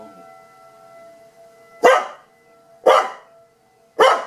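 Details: Tucker, a pet dog, reacting during siren testing, gives three sharp, loud barks about a second apart after a quiet start, while a steady tonal hum sits beneath.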